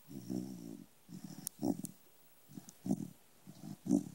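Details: Little corgi sleeping indoors and snoring: soft, buzzy, low rumbling breaths in uneven bursts about once a second, some rattling louder than others, with quiet pauses between them.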